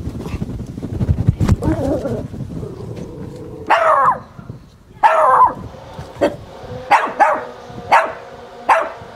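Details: Chihuahua named Zoe, who plays hide-and-seek and dislikes lawnmower noise, finally shows himself and barks enthusiastically: a run of sharp, bright yaps spaced roughly a second apart, after an opening of low rumbling noise.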